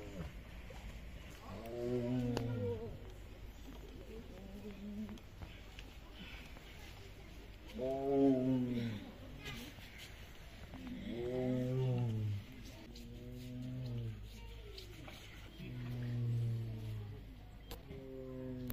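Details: Siberian tiger giving a series of deep, moaning roars, each about a second long with a strong falling-rising harmonic stack, repeated roughly every two to three seconds; loud roaring serves to deter or intimidate rivals.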